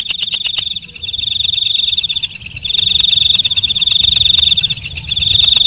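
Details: At night a walang kecek, or night grasshopper, gives a few slower ticks, then a shrill sustained buzz with rapid pulsing. The buzz pauses once and returns louder. Faint low background noise.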